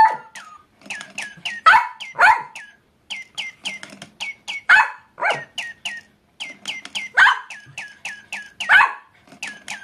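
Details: Papillon dog barking along with a chirping bird toy named Midori-chan from Francfranc, as if singing with it: short yappy barks interleaved with rapid, repeated high descending electronic chirps throughout.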